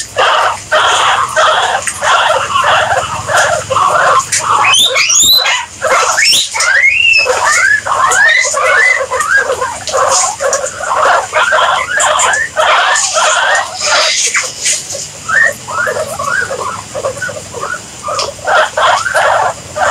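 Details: Guinea pigs calling in a dense chorus of high squealing whistles, many sweeping up and down in pitch, tumbling over one another almost continuously with only brief pauses.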